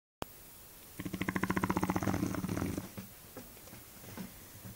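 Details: Eva, a Shar Pei dog, snores indoors: a single rattling, fluttery intake lasting nearly two seconds, made of rapid pulses that fade into softer breaths in a quiet room.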